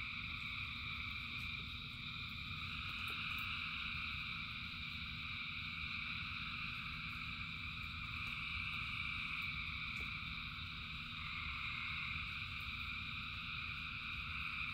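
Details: Frogs calling in rain, thousands strong, form a continuous shimmering chorus of layered high trills that swell slightly at times, with a steady deep rain rumble underneath and a few faint clicks.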